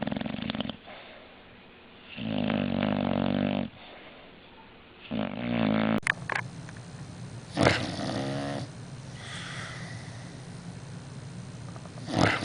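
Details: Dog snoring while asleep, two sleeping scenes back to back: long, deep, rattling snores with a buzzy, layered tone, each lasting one to one and a half seconds, separated by quieter breaths and soft huffs.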